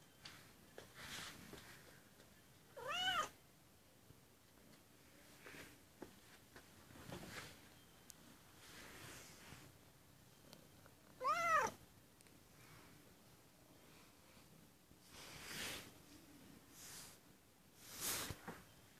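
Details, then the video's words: White kitten crying at the door, giving two clear, high, rising-then-falling meows about eight seconds apart, with soft shuffling and quiet room noise between them. "white kitten crying at the door"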